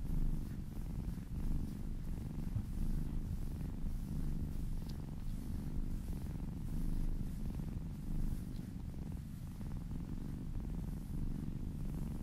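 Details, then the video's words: Low, steady purr from a kitten being massaged, a rumbling drone with soft rising and falling loudness as it breathes, recorded close up in a quiet room. "Purring kittens"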